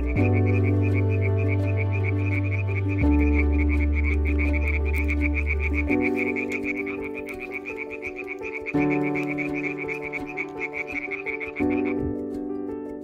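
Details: Iberian tree frogs (Hyla molleri) at a pond give rapid, rattling krak-krak calls in a steady pulsing chorus over background music.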